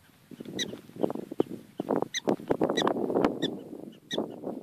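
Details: Prairie dogs in Badlands National Park, South Dakota, USA, on October 12, 2013: quick, sharp chirps with bright overtones, repeated unevenly several times a second over a dense, rough low-pitched background.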